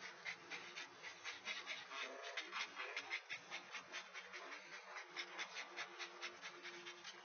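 A Great Dane pants in quick, breathy bursts, roughly two to three each second.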